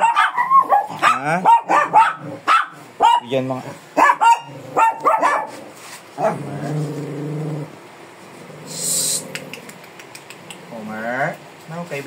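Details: ['Fierce Shih Tzu dog being groomed, barking in a rapid run of sharp, high yapping barks for about five seconds, then quieter growly sounds under a person talking.']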